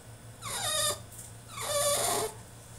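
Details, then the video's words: French Bulldog throwing a tantrum in his cage: two drawn-out, high, strained whines, each about half a second long and sliding downward in pitch, separated by a short pause, over a faint steady low hum. "FRENCH BULLDOG THROWS TANTRUM IN HIS CAGE!!"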